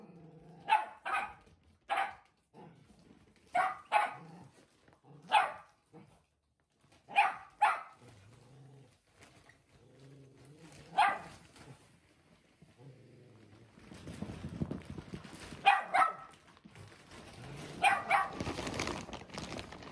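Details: One-year-old Shetland Sheepdog, still timid, indoors confronting a newly delivered mattress: sharp barks in pairs and singles every second or two, a pause, then scattered barks over rustling and handling noise.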